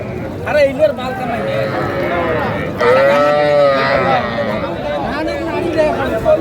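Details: Sahiwal bull and heifer calves at a cattle market in Gazipur, 7 January 2025: a drawn-out, arching low moo rises and falls over about a second, set against steady crowd chatter and people talking nearby.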